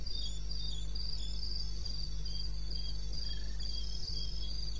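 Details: Cricket chorus at 02:30, 21 May 16, from wilderness in eastern Botswana: bursts of high rapid pulses, one caller slightly lower in pitch alternating with another, a few soft knocks and a steady low hum underneath.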